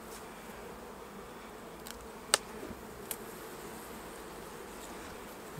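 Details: Honey bees at an opened hive while a beekeeper takes off a full honey super without smoke; a steady, dense buzzing hum runs throughout, broken by a few sharp clicks and knocks from handling the frames.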